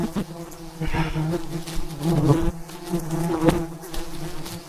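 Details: A low, steady drone rises from thousands of wild bees at a giant hive high above the ground as a honey hunter collects it, with the hum pulsing louder at moments amid sharp tapping noises.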